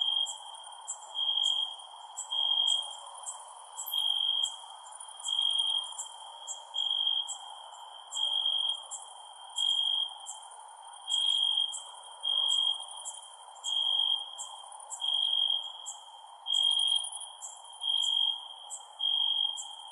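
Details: A night chorus of crickets: a continuous high tonal ringing broken into rhythmic loud surges about once a second, with rapid very high chirps over a soft background hiss.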